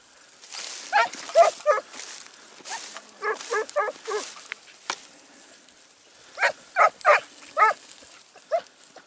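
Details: Segugio Italiano scent hound in training on 12 September 2018 in Evros, Greece, giving bursts of baying barks in quick groups of three to four, pausing between bursts, heard at some distance.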